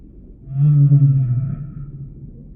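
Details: A single sustained low humpback whale moan, rich in harmonics, holding steady for about a second before fading, with a faint higher tonal streak above and a constant low rumble underneath.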